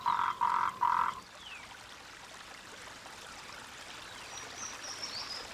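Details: Mating call of Moltrecht's green tree frog, a rare protected species living in the mountains of Guanwu above 2000 metres: three short pulsed croaking bursts, then a steady watery hiss with faint high whistles.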